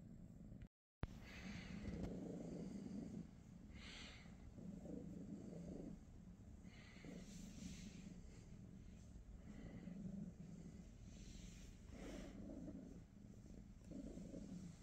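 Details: Morning purring from British Shorthair housecats Pikachu, Teddy and Rosie: a soft rumble rising and falling in repeated breathing cycles, broken by a brief gap near the start and light rustling.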